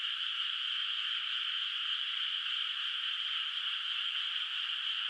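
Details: Night-time chorus of distant frogs over a moonlit rice field still without rice; a thick, steady wash of overlapping trills holds one level from start to end, accompanied by a faint unchanging high whine.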